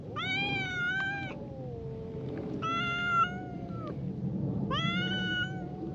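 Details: Standoff between a tortoiseshell cat and a brown tabby: a low, steady drawn-out growl-like moan runs beneath three bright, strained wails spaced roughly two seconds apart, the voices overlapping in a tense back-and-forth.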